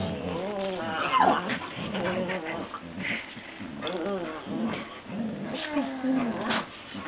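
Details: Labrador Retriever and Papillon playing together: a steady run of wavering, whiny growls and yips that rise and fall, overlapping throughout without pause.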